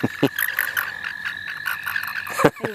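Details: Frogs calling in the St. Olaf College Natural Lands during a frog-catching outing: a steady high pulsed trill holds at one pitch throughout, with a few sharp knocks and brief human voices breaking in.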